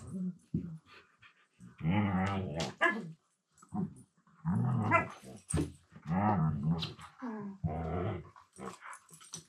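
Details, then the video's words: Two Siberian Huskies mouth-wrestling at play in a room, one talking with a low-pitched voice: rumbling growls and grumbling harmonic bursts that rise and fall, broken by brief pauses and scuffling noises. "Funny Husky Sounds"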